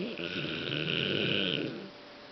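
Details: Big snore from Fang, a Golden Retriever, worn out after a dog-show outing to Intex Osaka to cheer a friend. One long, rattling, throaty breath with a raspy hiss over it, fading into a quiet indoor room.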